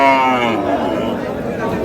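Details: Cattle at the Aftabganj market in Dinajpur, Bangladesh. A short, harmonic moo lasts about half a second, followed by a man speaking Bengali.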